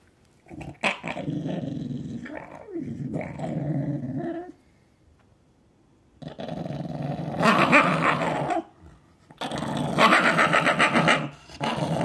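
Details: Pet Shiba Inu growling indoors at feeding time, a reluctant eater; rough, rumbling growls in bursts of a few seconds separated by short silences, the later bursts harsher and louder.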